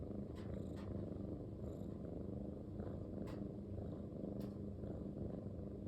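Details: Pet Munchkin cat, a short-legged long-haired male, purring steadily indoors; a dense low vibrating rumble with occasional faint clicks and a thin high electronic whine in the background.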